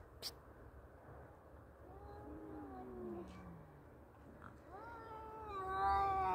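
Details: Two male cats fighting; a low, falling growl-like moan gives way to a rising, harmonic yowl that swells louder toward the end, with faint background noise.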